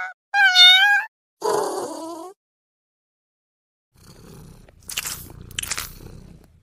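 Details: Domestic cat giving two clear meows in quick succession, the first higher and steadier, the second lower and falling, followed by quiet rustling and scraping noises.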